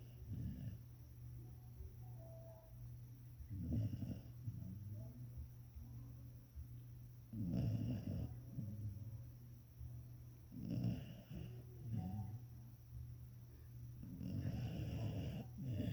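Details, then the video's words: Sleeping English springer spaniel snoring in a slow cycle: harsh, raspy bursts recur about every three to four seconds, some louder and longer, with soft breathing between them over a constant low electrical hum. "Snoring English Springer Spaniel!"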